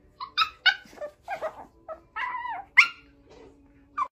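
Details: Dog puppy whining and yelping indoors: about ten short high whimpers and squeaky yips in an uneven sequence, some rising and falling in pitch, one longer wavering whine in the middle, with a faint steady hum underneath.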